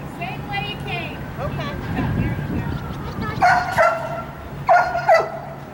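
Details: Sirius, a dog being evaluated as a wildlife detection dog candidate. Two short bursts of sharp, ringing barks, each a quick double, come late in the clip. Earlier, a handler talks over wind and a low rumble.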